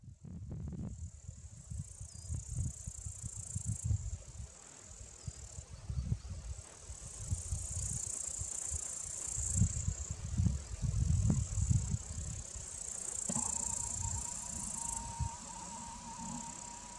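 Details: Upland green bush-cricket (Tettigonia cantans), several perched on monkshood (aconite) plants, singing a continuous high, shrill, unbroken buzz that runs the whole time over heavy low rumbling wind or handling noise; a steady lower whistled tone joins near the end.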